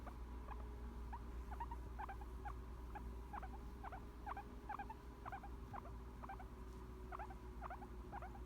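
A guinea pig gives soft, short squeaks about twice a second, a relaxed sound of contentment.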